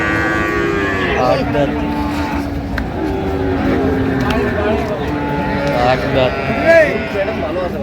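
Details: Cows with calves for sale at Ambari cattle market in Dinajpur, Bangladesh, on 7/9/25: drawn-out, steady, low lowing calls overlap one another amid constant people's talk and general market bustle.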